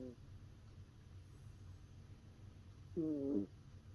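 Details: Shiba Inu puppy named Momo, asleep on an owner's arm and snoring: faint low background hum, then a single squeaky, whistled nasal note lasting about half a second near the end.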